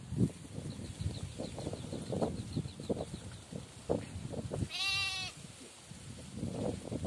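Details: Goat giving a single quavering, tremulous bleat of about half a second over steady low rumbling and faint rustling in the background.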